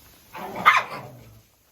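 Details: Jack Russell Terrier named Oscar giving one short, sharp bark lasting about a second, with a bright burst in the middle, amid quiet surroundings.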